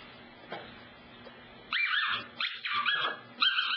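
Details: Cassidy, a pet dog, in a funny moment around the couch, gives a high, wavering whine, a string of short rising and falling squeals, after a quiet start with a small knock and a short spoken remark.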